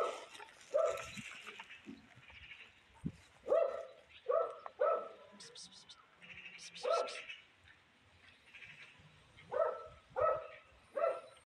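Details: Small grey stray cat gives a string of short mews spread over about eleven seconds, with soft rustling, a few sharp clicks and quiet background noise between the calls.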